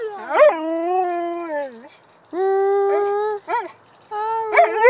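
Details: Singing Siberian Husky gives a sustained wavering howl, then a short break, a second steady held howl, a quick yipping warble, and a final rising howl note; no other sounds stand out.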